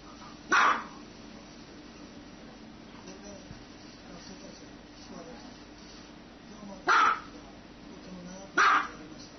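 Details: One sharp dog bark, a long quiet pause of about six seconds, then two more barks in quick succession.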